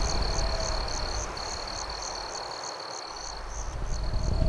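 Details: Crickets chirp in nighttime campfire ambience, a sustained high trill with briefly broken stretches and regular higher pulses about three per second, above soft crackling and low rumble.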